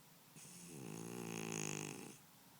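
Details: Pet cat Momojiro snoring while sound asleep: a single long, rasping snore of about one and a half seconds, rich in buzzy harmonics, with a slight upward slide at the start before it fades back to quiet room hush.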